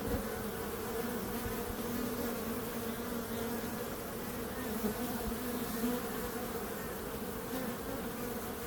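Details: Droning bee buzz holds steady from start to finish, a low hum with a higher overtone, broken only by a couple of faint taps.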